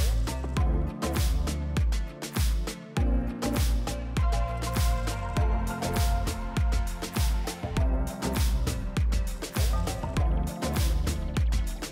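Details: Funky music with a driving beat and bass fills the whole stretch, with no animal sound.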